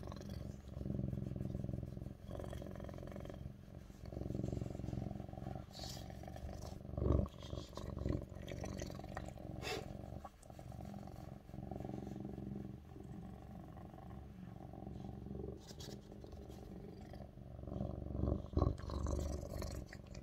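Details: A Lynx point (tabby point) Siamese cat lying on its owner's lap while she works purrs loudly, a deep steady rumble that pulses with each breath.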